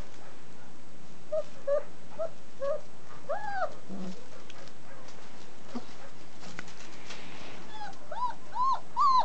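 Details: German Shepherd puppies, 29 days old, from a breeder's litter raised in a family setting, give short arched whines in small runs, a cluster early on and a rising, repeated group near the end, with faint clicks and rustling between.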